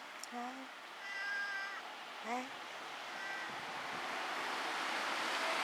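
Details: Black domestic cat at home, recorded 22 October 2013, giving a short rising meow followed by a longer harmonic meow and another rising cry, then quieter sounds amid a steady background hiss.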